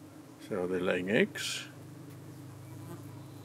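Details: Evening at a UK beehive under attack from darting parasitic flies, the bees fending them off: a continuous low, even buzzing drone, with a short spoken phrase near the start.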